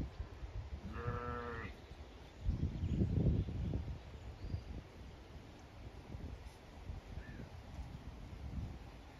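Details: Zwartbles ewes and lambs grazing and shading on a hot May day at a regenerative farm in County Kilkenny, Ireland; a single clear, nasal bleat near the start, then rustling and thumping movement through grass.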